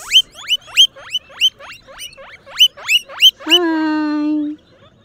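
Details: Guinea pigs, with babies among them, wheeking loudly: about nine rapid upward-sliding squeaks come roughly every third of a second, then one long, steady, buzzy squeal holds for about a second.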